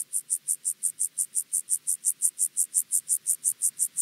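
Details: Penumbra grasshopper (Chorthippus vagans) singing at Mörnsheim, Germany, on 14 July 2023, captured with a Pettersson D 100 ultrasound detector: a steady train of high, rasping pulses, about five to six per second, evenly spaced and unbroken throughout.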